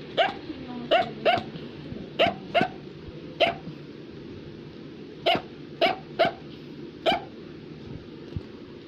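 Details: Affenpinscher, a small German toy terrier, barking indoors with short sharp yaps, often in pairs, a dozen or so spread over nine seconds against a low household hum.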